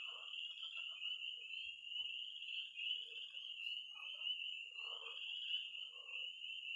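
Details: Night chorus of frogs and toads at a pond in Missouri in early spring: a dense, continuous high peeping band from tree frogs, with scattered low croaks and short bursts of calls underneath.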